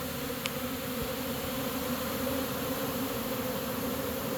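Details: Caught honey bee swarm moving into a new home, humming in a constant low drone with a clear upper harmonic, unchanging in pitch, and one tiny click at the start.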